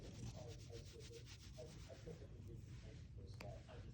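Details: A Siamese cat rolls around on a carpet while being petted, purring in a low, steady rumble, a sign of contentment.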